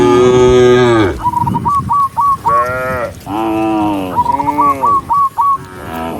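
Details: Dozens of cows walking along a forest road moo in long, rich, droning calls, one after another, with short whistled notes between them, while people urge them to move.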